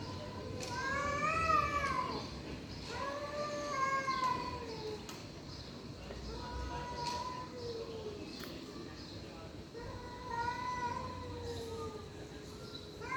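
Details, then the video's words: Stray cats fighting, giving long drawn-out wavering yowls that rise and fall, several overlapping howls one after another through the clip, with low background rumble. "Cats fighting by making strange noises. Stray cats fighting"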